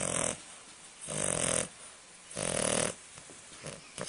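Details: An English Bulldog puppy, a young female, snores in rough, raspy breaths about every second and a half, waking a Chihuahua.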